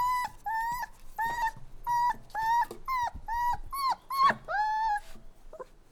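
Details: A crying puppy gives repeated level whines, each held briefly then dipping at the end, about two per second with strong harmonics; one louder, higher cry stands out near the end before a fade.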